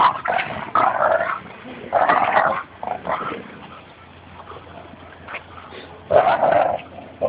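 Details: Labrador Retriever growling at a Bouvier des Flandres during a tug-of-war game at a Fernandina Beach dog park; snarling growl bursts of about a second, separated by quieter pauses, with one last loud burst near the end.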